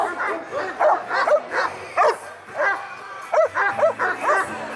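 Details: Šarplaninac at a special dog show in Smederevska Palanka on 25 March 2012, giving loud, harsh barks in quick bursts, several in a row roughly every half second, with short pauses, over a low steady background murmur.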